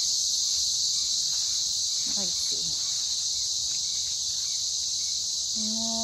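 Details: Cicadas in the Australian bush in the morning, described as a trusted alarm clock; a loud, continuous, high-pitched buzzing drone holds steady throughout, with a brief faint voice in the middle.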